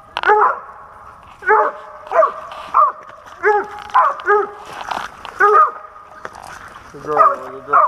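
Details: Dog barking on a Pennsylvania squirrel hunt in 2021, a run of clear repeated barks, some doubled, with a brief broad noise burst midway and a drawn-out howling bark at the end.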